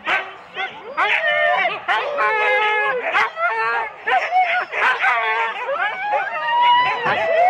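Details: Husky four-dog teams at the start, Rendlesham, January 2016, on analogue cassette: drawn-out whining howls and yelps with clear tonal wavering, mixed with people's speech close by.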